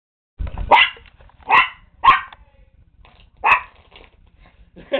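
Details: Toy poodle that attacks playing cards when they are shuffled, barking in short, high, sharp yaps, four in quick irregular succession, with a faint rustle at the start.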